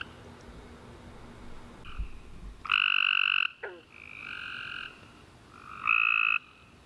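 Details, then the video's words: Night chorus of tree frogs after a warm summer rain: a few loud, bright, buzzy bursts, each about half a second long, with fainter callers answering between them and a brief sharp click. "Tree Frog Chorus After A Warm Rainy Day"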